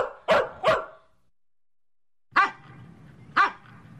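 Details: Medium-sized dog with deep, commanding barks: two quick sharp barks close together, a second of quiet, then two more barks spaced about a second apart.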